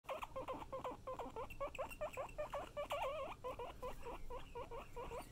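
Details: Pet guinea pigs indoors, wheeking in a rapid string of short squeals, about two or three per second, each with a looping rising and falling shape, over a low rumbling murmur.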